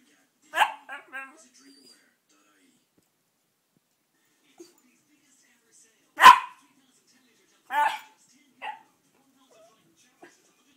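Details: Miniature Schnauzer 'talking', searching for his 'ma ma': a short yip followed by quick warbling grumbles, a long pause, then a loud sharp bark and two more moaning, talk-like vocalizations spaced about a second apart in a quiet room.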